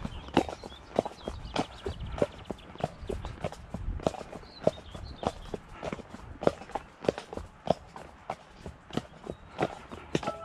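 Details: Shire horse De Goot Damon of Ostsee Shires, travelling on 2 May to collect a new boarder horse from Falkendorf after early rain gave way to dry weather. Steady, sharp clip-clop hoofbeats, roughly one and a half per second, over low outdoor background noise.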